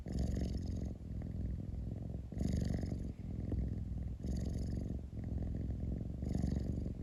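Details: A cat purrs close up indoors, a deep continuous rumble punctuated by four louder rasping swells spaced about two seconds apart.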